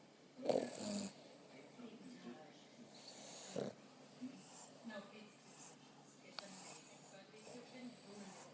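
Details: Two Boston Terriers lying on their pregnant owner's belly snore with rough, breathy snorts, two louder ones standing out over quieter breathing.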